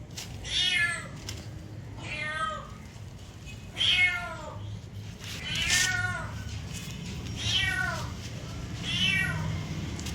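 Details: Cat giving a steady series of six or seven descending meows, roughly one every one and a half seconds, each clear and harmonic, over a faint low hum.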